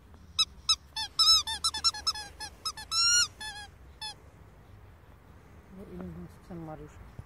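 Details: Two-month-old Staffordshire Bull Terrier puppy whining: a quick series of thin, high-pitched squeaks and whimpers, some rising, packed into the first four seconds. Then near silence, with a faint, lower voiced sound near the end.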